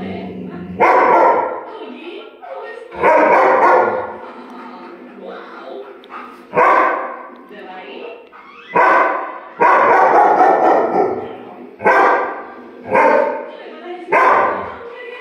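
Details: German Shepherd barking at a clock indoors: loud, harsh barks in bursts, about eight over fifteen seconds, some doubled, with a person's voice heard between them.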